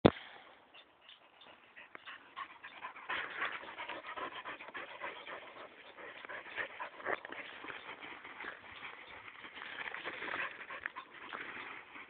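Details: A 9-month-old English Springer Spaniel in the woods pants and breathes hard in quick, rough, rhythmic huffs.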